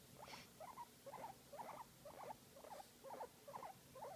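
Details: A guinea pig enjoying a massage makes cute sounds: evenly spaced short squeaky chirps, roughly two per second, each a small warbled burst, over a quiet low hum.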